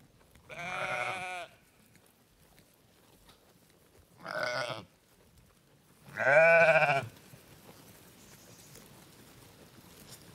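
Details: {'text': 'Farm sheep bleating three times, with drawn-out nasal baas spaced a few seconds apart. The last bleat is the loudest and is followed by faint background hiss.'}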